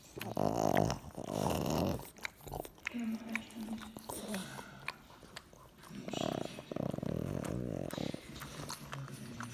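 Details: Pug dog being loving toward its little brother, indoors; a series of low growly whines and grumbles in bursts, with short nasal whimpers between them and a few soft snuffling sounds.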